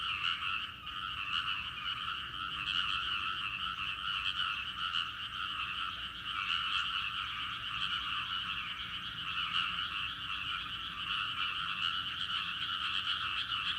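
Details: Rice-paddy frog chorus, a chorus said to fall silent when a person comes near; here a thick, unbroken wall of pulsing croaks with a brief dip near the start, then steady calling.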